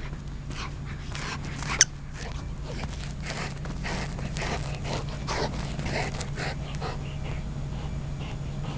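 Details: Golden Retriever going crazy with a toy chicken on first play, giving fast rasping breaths and snorts in clustered bursts, one sharp click near the start, steady low hum behind.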